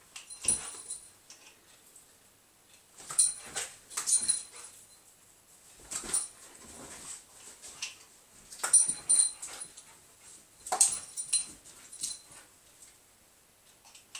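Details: Border Collie catching bubbles during training on a couch, recorded on an Android phone: breathy, snapping puffs in clusters every two to three seconds, separated by quiet gaps in a small room.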